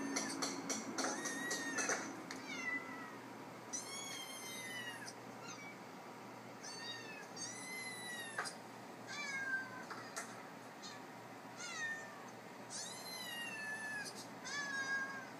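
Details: An iPad plays cats and kittens meowing while the pet cat Mars hunts for the unseen callers. Dense overlapping meows, some long and arched and some quick and short, sound over a background hum.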